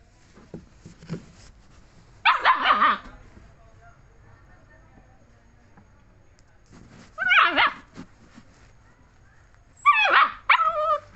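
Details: German Shepherd puppy giving three short, high, strained yelping whines at about two, seven and ten seconds, each a brief harmonic burst with a wavering tone, with near silence and faint background noise between them.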